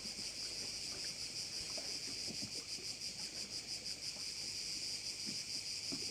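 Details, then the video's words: Crickets heard over a bay at Korčula, Croatia: a dense, steady high-pitched shrilling chorus pulsing about three times a second, with faint low rumbles of water or wind beneath. "view of one of the bays in Korcula with sounds of crickets"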